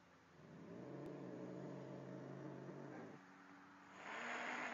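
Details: Angry cat facing a calmer cat in the same place: a low, steady droning growl held for about two seconds, a short quieter pause, then a sharp breathy hiss to close.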